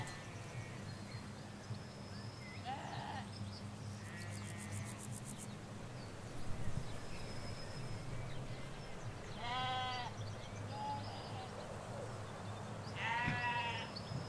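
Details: Ewes and lambs in a field in rural Hampshire, England: scattered brief bleats, two clearer wavering ones near the end, between long stretches of distant traffic rumble and occasional high bird notes.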